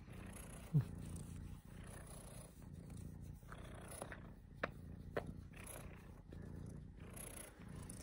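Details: Pet cat Mogwai gives a deep, strong purr, a rumbling low hum rising and falling with breathing, broken by a short squeak early on and a few sharp clicks.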